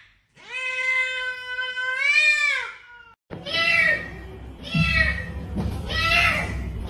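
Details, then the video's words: Domestic cat calling: one long, steady meow that bends upward at the end, then after a brief gap three shorter, harsher meows about a second apart over low background rumble. "Sounds that attract cats - Meow to make cats come to you"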